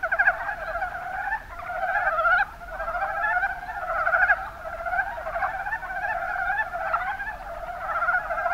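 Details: Mountain brown frog chorus, Rana ornativentris, recorded in Kumamoto's Kuma Basin, Japan; overlapping chuckling croak bursts arrive roughly every two seconds over a constant background of more frogs calling.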